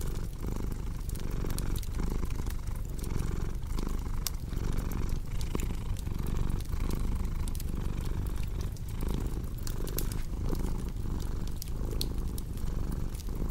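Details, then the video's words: Purring house cat layered with a cozy crackling fire, meant for deep sleep: a low, even vibrating rumble with soft rhythmic breath swells roughly every second, and bright fireplace pops crackling throughout. "Purring Cat"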